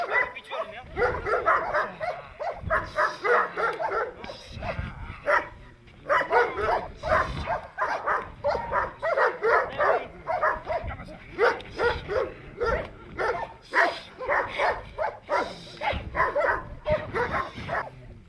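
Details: Perro de Presa Canario barking during protection training: loud, rapid gruff barks repeated in dense bursts throughout, with brief pauses; a person's voice is heard faintly among the barks.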